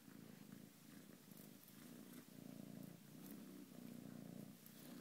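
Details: Foster kitten, ginger-coloured, at play and purring continuously; the deep throbbing purr swells and eases in regular cycles about every second, with light scratchy handling noises on top.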